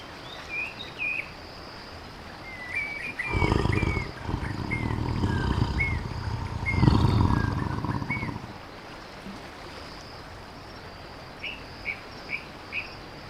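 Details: Tiger roaring: two deep, rumbling bursts, one lasting about a second and a later one about a second and a half, heavy in low pitch, while small birds chirp and whistle throughout with high, quick, repeated notes.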